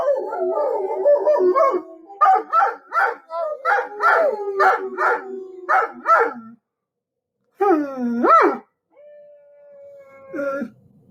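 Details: Dogs howling and yelping, a wavering howl opening into a run of short rhythmic barks and yips, then silence, a rising whining cry, and a final flat held tone fading out.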